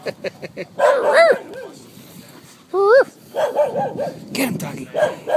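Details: Terrier mix playing catch at Eureka Valley dog park; a few scattered sharp, rising-falling yips and barks mixed with softer sounds and human voices nearby.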